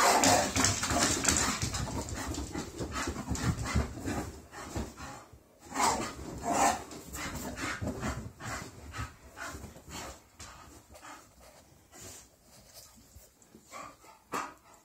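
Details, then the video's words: English Bull Terriers in their morning greeting at home after walk and breakfast; rapid panting, whimpers and grumbling bursts, loud at first, then fading into scattered short snorts and whines amid movement sounds. "Our English Bull Terriers' Morning Greeting"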